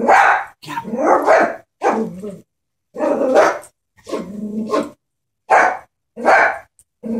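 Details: A frightened Chihuahua confronting a stuffed toy horse lets out rapid high, harsh barks in quick bursts, roughly eight sharp yaps separated by brief pauses.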